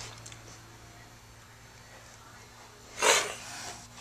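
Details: Orphaned kittens without a mother, being taught defence reactions and acting tough, give one short breathy hiss partway through, preceded by near silence and a steady low hum in a quiet room.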